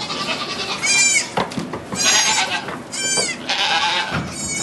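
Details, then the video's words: Goat during the birth of two kids in a sugar shack in Quebec, Canada, recorded on an iPod Touch; several short, wavering, high-pitched bleats come in bursts about a second apart over steady indoor background noise. "Goat giving birth"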